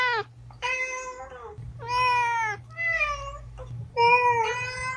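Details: A domestic cat meows repeatedly to attract other cats: five drawn-out, gently falling calls in quick succession, with a steady low hum in the background.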